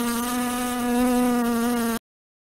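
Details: A house fly gives a steady, droning buzz lasting about two seconds.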